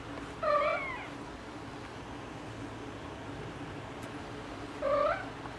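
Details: Pet cat yelling at its humans: two separate drawn-out meows about four seconds apart, each bending upward in pitch, over a low steady indoor hum.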